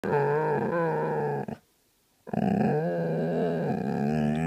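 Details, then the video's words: A grumpy Vizsla in bed grumbles in a sustained, harmonic, moaning growl that wavers slightly in pitch, breaks off into about a second of silence, then resumes just as loud and steady. "Grumpy Vizsla in bed"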